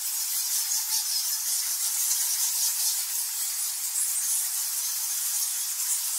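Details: Nectar bats by the thousands squeak and squawk inside a cave at Goa Lawah in Bali, Indonesia, forming an unbroken high hiss flecked with quick, irregular chittering pulses.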